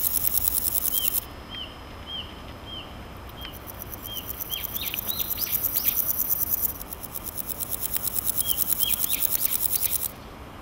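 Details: Naki-inago grasshopper, a male sounding off in grass by rubbing its hind legs on its wings: pulsed, hissing buzz in bursts, the longest about three seconds. Evenly spaced downslurred bird chirps and a few higher bird notes sound between the bursts.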